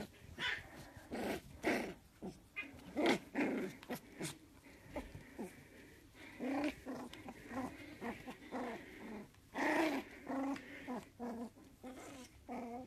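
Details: Jack Russell Terrier puppy that wants to play, growling in repeated short bursts separated by brief gaps, some louder and rougher, over roughly thirteen seconds.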